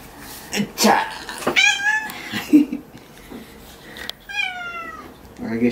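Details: Domestic cat indoors during a claw-trimming session, giving two drawn-out, wavering meows, the second slightly falling, with a woman talking softly between them and small handling noises.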